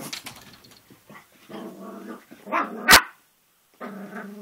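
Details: Young Cavalier King Charles Spaniel, about three and a half months old, playing at a mirror: low rumbling growls broken by one sharp loud bark near the middle, then a pause and another growl.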